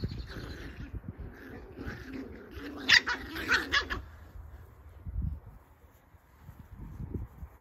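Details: Seven-week-old Cocker Spaniel puppies give short, high yelps and whimpers in a brief cluster among soft background noise.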